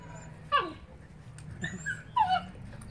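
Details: Rhodesian Ridgeback dogs play fighting, a 9-week-old puppy with a 9-month-old. Three short, high whining yelps slide downward in pitch, at about half a second, just past one and a half seconds, and just past two seconds, over a low steady hum.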